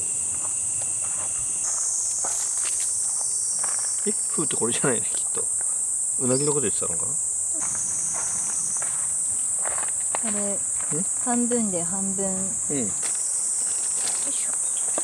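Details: Cicadas singing right beside a campsite at Yatsugatake in Yamanashi, Japan, on a summer evening; a steady, very high continuous drone throughout, with people talking and footsteps in the foreground.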